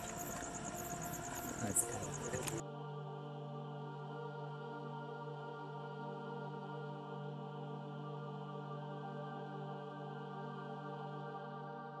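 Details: A burst of mixed noise gives way to a steady ambient music drone, with no animal voice. The sustained tones continue unchanged to the end.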